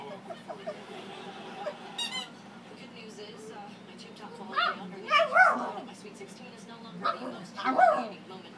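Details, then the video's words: A pet dog barks at his squeaky toy in sharp, yelping barks that come in two short clusters, the second near the end. A person talks throughout, and the toy squeaks briefly earlier on. "barking at his squeaky toy"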